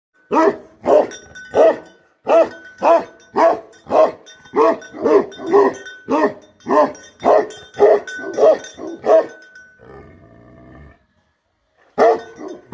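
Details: Bhote Kukur livestock guardian dog barking: deep, rough barks repeated about twice a second for ten seconds, a short low rumbling pause, then barking resumes; a faint steady ringing tone runs underneath.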